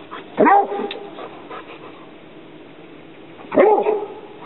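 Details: Barney, a young Rhodesian Ridgeback, confronting an alligator snapping turtle, gives two sharp, harmonic barks about three seconds apart, with quiet background noise between them.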